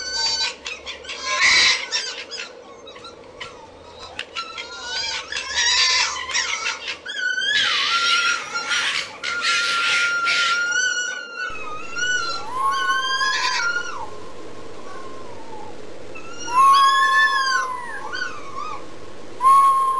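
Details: Fox calling in a long, varied series: harsh broadband bursts and barks give way to wavering, harmonic squeals and rising-falling whines, some sharply upswept, over a steady low background hum.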